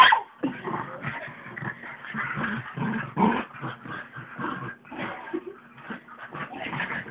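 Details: A pug and a mutt at play on a bed indoors; dense stream of grumbling growls, whines and snuffly yips, choppy and irregular, over a low constant hum.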